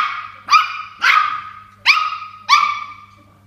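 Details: Toy Poodle upset by a water bottle and barking at it; four high-pitched ringing yaps spaced roughly half a second apart, each with a tonal, slightly rising start and quick fade, faint steady hum underneath.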